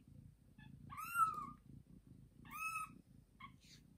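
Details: Domestic mother cat with a young kitten, after a hard birth of two kittens: continuous low, pulsing purr under two loud, drawn-out meows that rise and then fall, with a brief squeak near the end.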